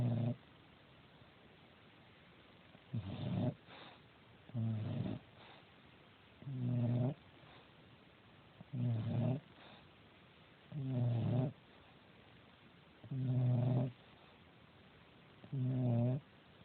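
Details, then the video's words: Natty, a female domestic cat, snoring while asleep: low, rough, harmonic snores in short bursts repeated about every two seconds, eight in a row, with quiet pauses between breaths. "natty snoring"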